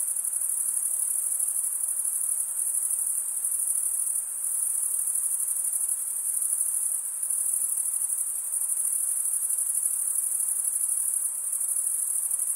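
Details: Crickets, mostly males, stridulating by rubbing one wing's toothed vein against the other: a dense, steady, very high trill that never stops, with slight swells in loudness and no other sounds.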